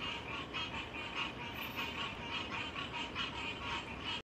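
Frogs calling in a steady stream of quick, rasping pulses, about four or five each second.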